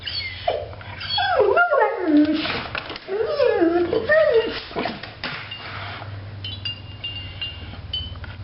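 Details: Bailey Blue, a pet dog worked up over a dog seen outside, lets out a run of short yodelling howls that slide up and down, mixed with a woman's voice and soft indoor clatter.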